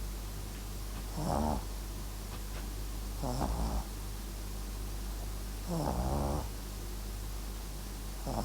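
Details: Papillon and Japanese Chin cross snoring while asleep: rough, fluttering snores recur roughly every two to two and a half seconds against a constant low background drone.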